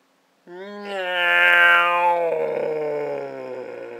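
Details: Briggs, a house cat, being scared indoors, lets out one long, loud, strained yowl. It starts abruptly, swells into a harsh, rich wail, then slowly drops in pitch and fades over about three and a half seconds.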